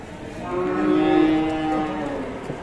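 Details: Angry Indonesian cattle lets out one sustained, steady-pitched moo that swells and fades over about two seconds, rich in harmonics.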